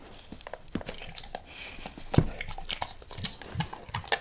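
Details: Close-miked chewing by Max, a dog eating a beef rib in a small room: crisp crackling bites and sharp tooth clicks in rapid succession, with one louder crunch near the middle.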